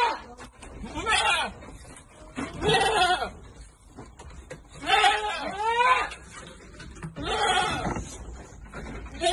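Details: Goats on a farm bleating while being given vitamins: four wavering, quavering bleats spaced about two seconds apart, mixed with people talking nearby.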